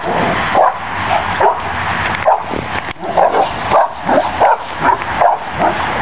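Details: Cane Corso dogs at play on a spring pole give short, rough barks and growly huffs, about two each second, over steady background rumble.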